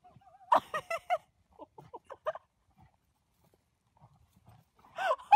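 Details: Goat with a baby goat nearby, giving a series of short, harmonic bleats in quick succession, then a pause with faint quieter sounds before a louder wavering bleat at the end.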